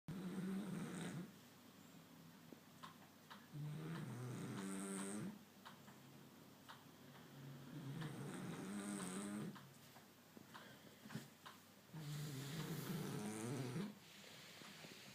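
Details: French Bulldog asleep during a daytime nap, snoring: slow rasping, buzzy snores about every four seconds, each lasting around a second and a half, quiet indoor background.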